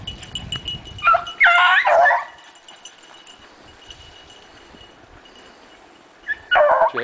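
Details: Running dogs let out a tight cluster of sharp yelping barks, fall quiet for about four seconds, then bark again in a second burst, with a faint high ringing tone throughout.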